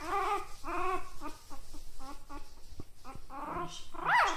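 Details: Puppy giving a run of short, whiny yips and whimpers with a rising-falling, tonal quality, ending in a sharper yelp, against a steady noisy background with faint voices.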